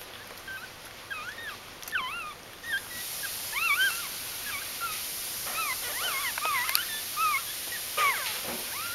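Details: Puppies of Aris's G litter, born in early October 2012 and only days old, whine in a busy stream of high, looping squeals that rise and fall, overlapping and growing louder midway, with a hissing background.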